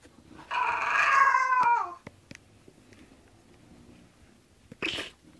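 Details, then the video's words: Zenuś, an English bulldog, whines while going to sleep: a tonal moan of about a second and a half that bends downward at its close. Quiet follows, then a short breathy snort. "English bulldog Zenuś go sleep :))"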